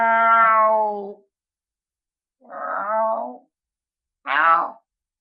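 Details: Lynx uttering a long, steady, tonal moan, then a rougher wavering call after a pause. A brief, sharp, rising yelp closes the sequence, with silence in between.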